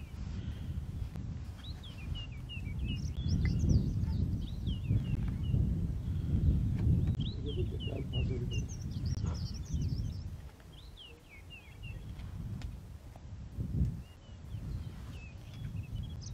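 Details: Lion pride scuffling over a kill in the Masai Mara: an older lioness chases a young lion off, and the resident male restores order. Deep, rough growling surges for several seconds, then fades, while small birds chirp steadily overhead.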